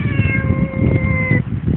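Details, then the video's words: Long, steady meow lasting over a second from a one-year-old female cat known as a talking cat, answering its owner's Tagalog questions about bathing; constant low hum beneath. "TALKING CAT"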